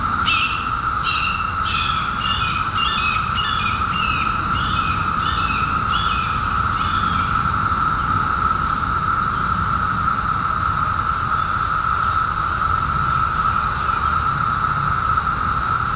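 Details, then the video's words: A cicada drones in one steady, unbroken tone in summer, with a bird chirping rapidly at the start; the cicadas reportedly emerged in 2021 after 17 years underground. "CICADAS 🌿 Sounds Video against Anxiety"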